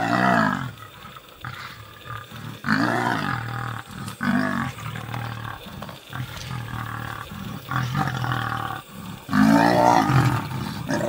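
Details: Lioness desperately defending her cubs against nomadic male lions: loud, harsh snarling roars and growls in repeated bursts, with deep rumbling between outbursts and a sharp, powerful snarl near the end.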